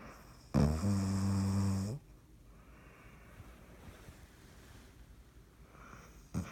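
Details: Dottie, a dog, asleep and snoring, recorded 3.16.19: a single low, rattling snore of about a second and a half, followed by several seconds of quiet breathing and the start of another snore at the end.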